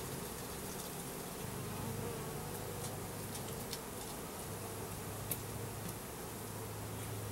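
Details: Mass of Russian/Carniolan hybrid honey bees from a 3 pound package, about 10000 with one queen, being hived in April 2012; steady droning buzz with a low tone that drops out and returns, plus light clicks and one sharp tick.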